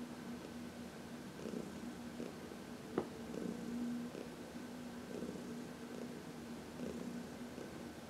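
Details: Contented purring of Heidi, a senior shelter cat aged 14, during a sunny massage; even rumbling cycles with one brief sharp click near the middle.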